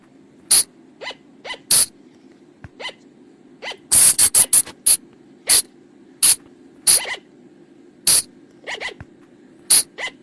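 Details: Flying lemur, called พุงจง in Thai, a forest call used to attract them after dark: shrill squeaks scattered singly and in a rapid mid-clip cluster, backed by a constant low droning hum.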